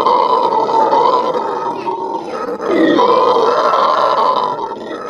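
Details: Venezuelan red howlers performing a morning howl at a zoo, a harsh sustained roaring chorus with a brief drop and break midway before the loud droning resumes.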